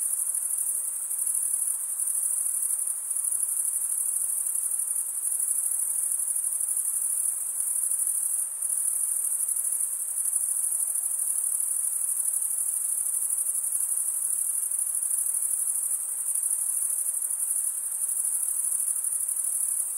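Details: Male crickets stridulating with their wings fill the air with an unbroken, piercing, finely pulsed trill, steady in pitch and loudness throughout, with only brief faint dips.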